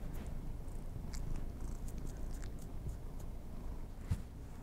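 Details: Domestic kitties getting treats indoors, close-miked for ASMR; a continuous deep purring drone runs throughout, with sparse soft ticks and one brief thump near the end.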